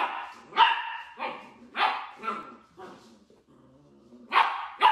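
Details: Dachshund puppies playing: bright, loud yapping barks in quick pairs, each bark sharp at the onset then fading, with a softer lower whine in the middle before two final shrill barks.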